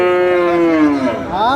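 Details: About four months old, a Friesian or crossbred bull calf offered for sale at Aftabganj market, Dinajpur, 7/6/26. A sustained moo that slowly sinks in pitch, then a brief rising call starts as it ends.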